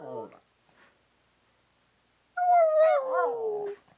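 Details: Indoor dog 'talking' with its owner because it wants cake: a short voiced sound at the start, a pause, then one long tonal howl of about a second and a half that drifts slowly downward.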